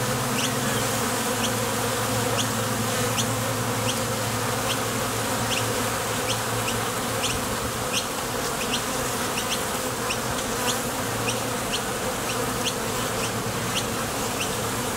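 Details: Honey bees crowding the entrance of a Top Bar Hive as they come and go for nectar: a full, even buzzing drone with shifting low tones, and rapid high chirps repeating steadily over it.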